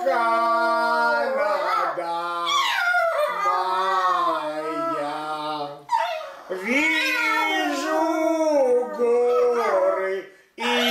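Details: Domestic dog howling to a Russian song, "Vizhu divnye razdolya", alongside a human singer and music. Quavering, arching howl notes come in several bursts separated by short pauses.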